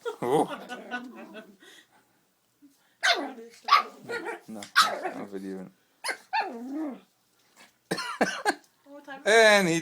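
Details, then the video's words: Chubbs, a pug puppy, at play with a squeaky toy: sharp barks and throaty growls in uneven bursts, with a person talking and laughing between them and a high squeak near the end. "Puppy pug playing with Sqeeky toy"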